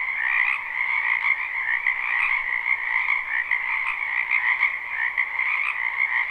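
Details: Live, unlooped recording of a spring wetland full of frogs: a dense nonstop chorus of trilled croaking from many animals, uniform in loudness, no other sounds noticeable.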